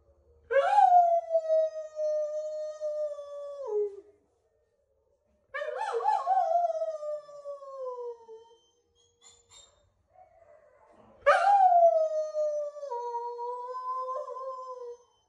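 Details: Yumir, a female blue solid Noble Shepherd wolfdog (gray wolf and German Shepherd hybrid), howls three times, each a long steady tone sliding slightly downward; the last one splits into two parallel pitches, with quiet gaps between.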